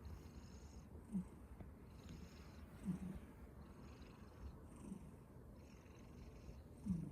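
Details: Snoring from a cat fast asleep: soft, low breathy rumbles arriving roughly every two seconds against a constant low background hum and faint high-pitched noise.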